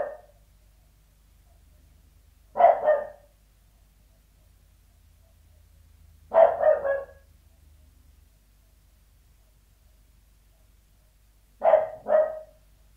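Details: Sealyham Terrier indoors, barking from behind a door: doubled barks, each a quick two-part burst, come every four to five seconds with silence between.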